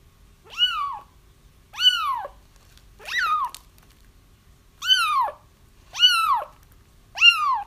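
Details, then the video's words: Kitten crying, used to lure a feral mother cat into a trap: high, arched meows that rise then fall, about six in under eight seconds, spaced a second or so apart, in a quiet room. "30 minutes of Kittens Crying"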